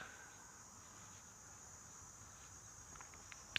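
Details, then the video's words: Cicadas calling once again as hot weather follows several days of rain; a steady, high-pitched buzzing drone runs unbroken through the whole recording, with a few faint clicks and taps near the end. "you can hear the cicadas calling once again"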